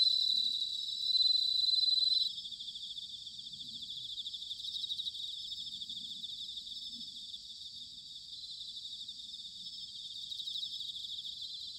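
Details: Autumn bell cricket song recorded at Sanuki, Chiba, Japan: a loud, clear ringing trill for the first two seconds, then a softer continuous chorus of high, rapidly pulsed chirring from several insects over faint low background noise.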